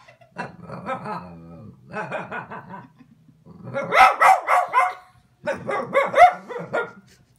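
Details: A Boston Terrier yells at a kitten in quick, repeated runs of grumbling, yowling bursts.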